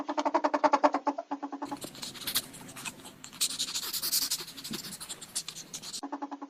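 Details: Ferret giving a quick run of harmonic clucks, about four per second, then a stretch of scratchy rustling and shuffling, before the clucking returns briefly at the end.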